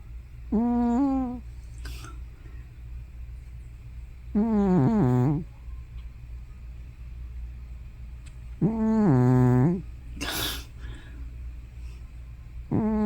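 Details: Sleeping old cat Hana, about fifteen or more, producing loud snore-like moans that may be sleep-talking. Three voiced, harmonic groans sound roughly every four seconds, each dipping lower at the end; a brief rustle comes between them.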